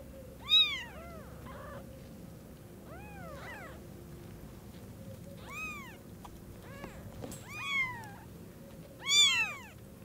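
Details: Newborn kittens, eyes just opened, seeing their mother cat for the first time: scattered high arched mews, some loud and some soft, at irregular gaps over a steady low hum.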